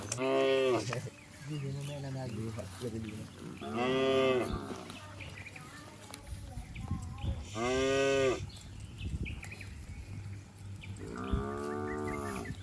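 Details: Cattle, a herd of cows and bulls leaping and running down a green hill in a village setting, give four loud harmonic moos of about a second each, spaced unevenly, with softer lowing and faint bird chirps between.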